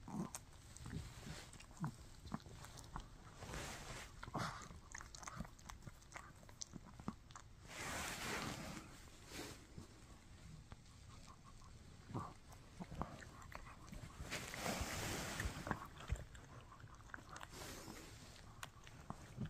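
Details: Shih Tzu named Mikki chewing a no-hide bully stick, giving irregular wet clicks and crunches at about two per second, with a few louder rustling bursts between bites.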